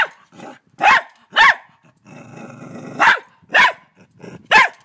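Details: In Australia, a terrified dog lunges at a huge mantis. A low growl opens into a few sharp, raspy barks, then a long rumbling growl, then three more harsh barks.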